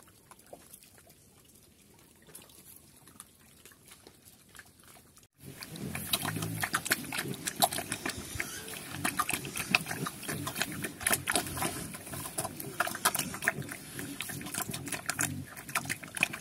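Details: Farm pigs in Cambodia, known in Cambodian as Chrouk Kandorl, moving about restlessly. Near-quiet at first, then after five seconds continuous low grunting over a steady broadband rustle and splashing-like noise.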